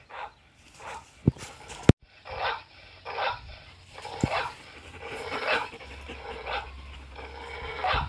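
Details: Black-saddled German Shepherd named Zara reacting to recorded dog barks and howls, giving a run of clear, fairly loud barks about every half second to second, with a couple of sharp clicks near the start.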